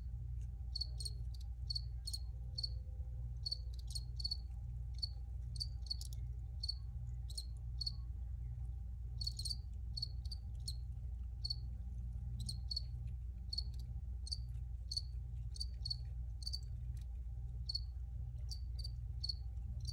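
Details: Recorded crickets chirp in brief high pulses, often paired or in small groups, repeated steadily over twenty seconds against a constant low-pitched background hum.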